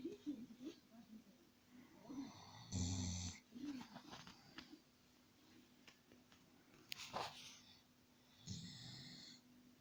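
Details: Khan, a Dobermann, asleep and snoring like a human: soft breathing between two loud, harsh snores, one near the three-second mark and another close to the end, with a steady low hum in the room.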